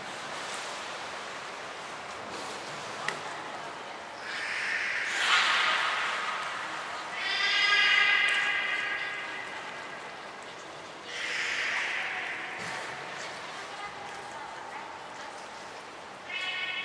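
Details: Captive beluga at Port of Nagoya Public Aquarium, Japan, during a training session with Mirai and Niko on 20 February 2021: hoarse broadband bursts, then a buzzy, harmonic, nasal call lasting about two seconds, with further raspy bursts.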